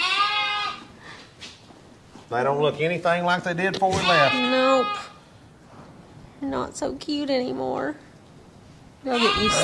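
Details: Shearing day for Angora goats: tremulous, harmonic-rich bleats come in two clusters separated by quieter pauses, with human voices heard alongside the animals.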